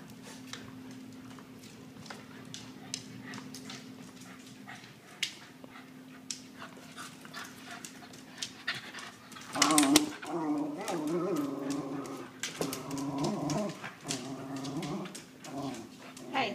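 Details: Miniature Schnauzer that hates anyone leaving, attacking a suitcase indoors; soft scuffling and panting give way to loud, harmonic growling whines and snarls from about the midpoint, while a woman talks to the dog.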